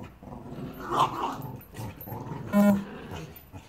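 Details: Annie, a six-year-old Staffordshire Bull Terrier, plays with Bear, a young Border Terrier puppy, in Salford: a rough growl, then a short harmonic bark-like yelp, over low grumbling.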